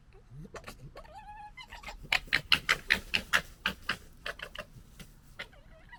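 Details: A European red fox, part of a local urban fox family in the UK, gekkers during fighting or disagreement: a harsh stuttering chatter of rapid raspy bursts, with a brief whine before.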